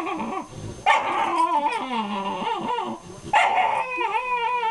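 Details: Female Miniature Schnauzer squeals as another dog tries to take her toy and she refuses to give it up; long wavering whines rise and fall, bending in pitch, in two loud bursts.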